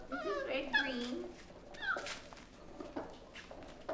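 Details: Five-week-old mastiff pups indoors giving high, wavering whimpers and short squeals that rise and fall, two main bursts in quick succession, with people talking softly in the background.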